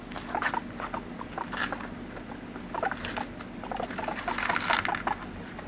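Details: Pet guinea pig in a scene billed as an attack with a frightening cry, no background music; repeated short squeaky notes in irregular bursts over scuffling and rustling patter.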